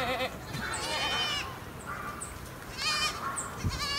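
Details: Free-roaming goats above Sasa, several voices bleating in wavering, nasal cries that rise and fall, with brief high ringing tones in the background.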